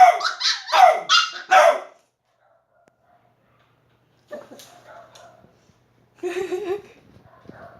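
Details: Shiba Inu and Beagle dogs at playtime: four or five loud, quick yaps at the start, then a long quiet spell broken by softer, lower grumbling yips and a short muffled bark.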